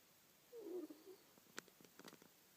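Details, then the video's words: Manyunya, a pet ferret, snores in her sleep indoors: one soft, raspy, breathy snore lasting about half a second, followed by a few faint clicks and light tapping noises in a quiet room. "хорёк манюня храпит"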